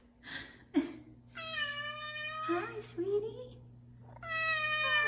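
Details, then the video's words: Indoor F2 Savannah cat, a five-year-old male, vocal one morning while wanting chicken early: two drawn-out, level, tonal meows separated by a pause, with a woman talking to the cats at the start. "Big Meows From Big Savannah Cat"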